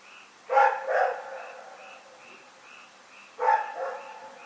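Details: Rex, a dog in Pyrga, barking at night on 27 February 2018: two quick double barks about three seconds apart, with a steady chorus of short, pulsing frog calls continuing in the background.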